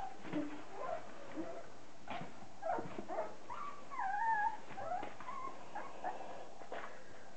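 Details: A litter of thirty-day-old Border Collie puppies, sired by Andy out of Kim, fills the room with overlapping thin whines and whimpers, some bending up and down, peaking around the fourth second amid soft rustling.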